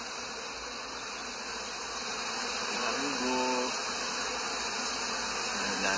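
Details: Honeybee in Canada, a faint hum swelling midway as an insect passes close, giving a short pitched buzz over a dense, hissy background of many wingbeats.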